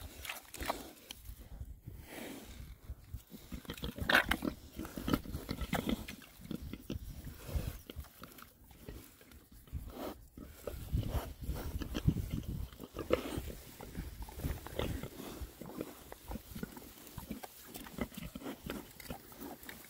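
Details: Winter forage by six rare breed Oxford Sandy and Black pigs between storms; quiet, low grunting runs throughout beneath crunching, rustling rooting noises, with no clear breaks.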